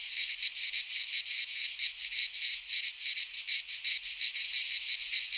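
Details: Greek pine-forest cicadas in high summer make a shrill, sizzling buzz that swells and dips rapidly, about three throbs per second, without pause or other noises.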